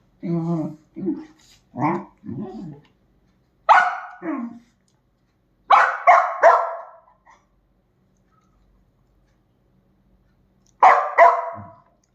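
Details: Dachshund barking: after someone talks in Bengali, sharp barks arrive in short clusters of two or three, then a pause and another burst near the end, with a few softer yips.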